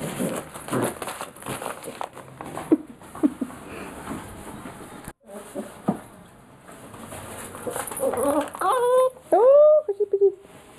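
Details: Petit Basset Griffon Vendéen named Coosje; after several seconds of soft rustling and low voices, the dog lets out a short run of rising-and-falling, tonal whines and yelps in the final two seconds.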